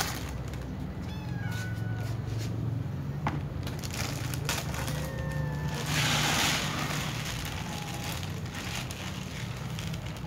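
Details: Kittens and other cats at their food give a few thin, drawn-out meows spread through the passage, over a constant low rumble and a brief hissing burst partway through.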